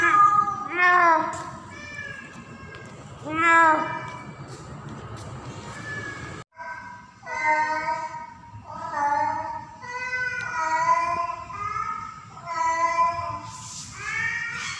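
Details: In mating season a female house cat in heat calls for a tomcat, owner's own recording: two sharp upward-bending meows, then a run of shorter wavering yowls roughly every second, steady low background rumble.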